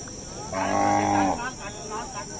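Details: Dhani bull at the Domail Mandi cattle market in Fateh Jang, June 2021, ahead of Bakra Eid: one deep, harmonic moo lasting about a second, then faint murmuring voices and a steady high electronic whine throughout.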